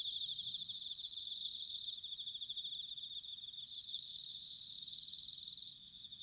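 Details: Bell cricket song in autumn from Sanuki, Chiba Prefecture, Japan: high, bell-like ringing trills in bursts lasting about a second or two, louder phrases alternating with a softer continuous pulsing chorus.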